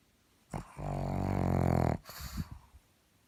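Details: Pug snoring up close: one long, loud, rumbling and growly snore lasting over a second, deep and buzzy, followed by short snuffling breaths.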